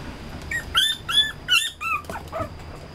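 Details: Red-coated male Toy Poodle puppy-like whimpering: several shrill, squeaky cries, some rising then dropping, spaced about half a second apart, fading into lower short whines at the end.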